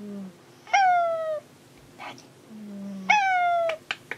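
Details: Searching for the cat Monaka, the house cat Hanu gives two clear, high meows that slide downward, each after a quiet low chirp, with light tapping and rustling sounds near the end.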